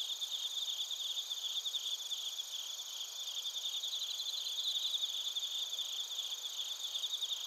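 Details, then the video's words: Japanese bell crickets and other crickets from Narita, Chiba, recorded on a TASCAM Portacapture X8, keep up an unbroken, high-pitched buzzing trill. Fast ticking pulses ripple through it, stronger around the middle. "スズムシとコオロギの鳴き声 - Chirping of crickets"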